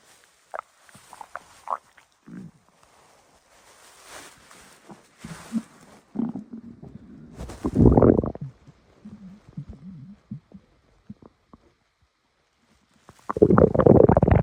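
Gurgling, bubbling stomach growls from a blue fox, low and irregular with a few louder rumbling bursts.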